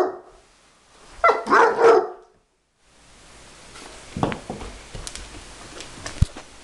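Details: A Bloodhound barks a quick run of deep, throaty barks at a vacuum cleaner, followed by a steady mechanical hum.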